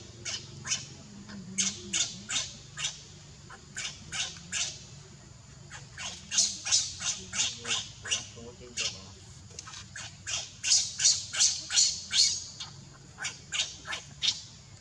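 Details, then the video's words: Tiny baby monkey calling for its mother and sister: shrill, high squeals in rapid bursts of several notes, roughly three per second, pausing between runs and growing louder toward the end, with faint low voices underneath. "Help me! Tiny baby monkey is calling his monkey mom and sister."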